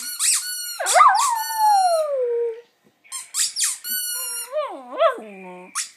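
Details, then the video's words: Brodie, a domestic poodle, gives a wavering howl that dips and then slowly falls away, followed by shorter warbling howls that drop in pitch, mixed with repeated high squeaks. "Howling poodle"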